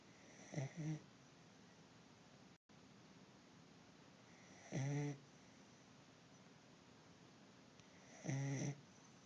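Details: Corgi asleep indoors, exhausted after a weekend of hiking and being out in the sun, snoring in low, rumbling, harmonic-rich breaths, three snores spaced roughly four seconds apart against a steady hiss.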